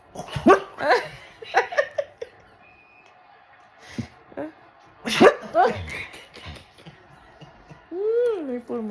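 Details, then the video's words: Maple, a male pet dog, tries to 'talk' with a drawn-out, arching whine that rises and falls near the end. Before it come short yelping sounds, while people chat and laugh throughout. "Maple the Talking Dog?!"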